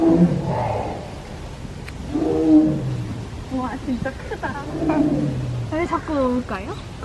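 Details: A zoo tiger cries repeatedly in the morning, giving deep, falling, moaning cries again and again while people chat nearby; the keeper wonders whether it misses another tiger.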